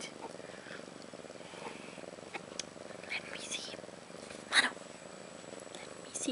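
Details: Ashley, a cat of about a year, purrs beside her two newborn female kittens Maggie and Rose, born March 30th 2013; a low, steady rumble runs on under scattered spoken words and a few sharp clicks.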